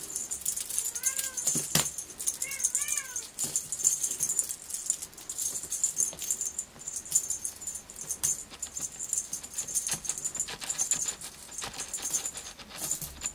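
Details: Sealpoint Ragdoll kitten with a purple collar, born 25 January 2024 and filmed around two months old in March 2024, gives two short rising-falling meows near the start, then steady metallic jangling and rattling fills the rest.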